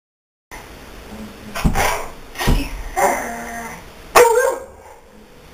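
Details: Daisy, a pet dog, gives a few short broadband barks spaced about a second apart, ending in a sharper, louder bark, with a quiet room background.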